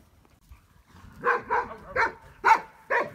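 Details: Briard dog barking: after a quiet start, five sharp, loud barks follow in quick succession over about two seconds, each a short burst with a clear mid-pitched core.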